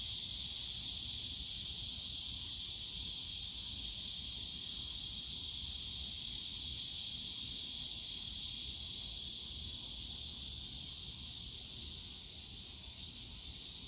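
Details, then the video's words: Summer cicada chorus in the Yongsan Family Park bamboo forest: continuous shrill buzzing, even and unbroken, easing slightly in loudness toward the end, over a soft low background hum of the park. "용산가족공원 대나무숲 매미소리"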